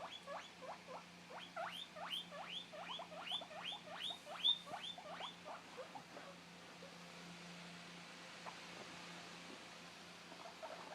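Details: A 2-month-old male guinea pig, separated from his companion, calls out for him with loud, sharply rising squealed wheeks, about two or three per second, fading after a few seconds to a faint steady hum.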